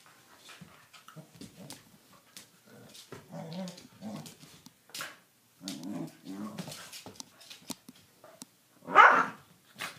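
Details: Doberman puppy and a corgi playing rough: low, rumbling growls come in bursts through the middle, with snuffles and short scuffles, ending in a loud yelp-like bark near the end.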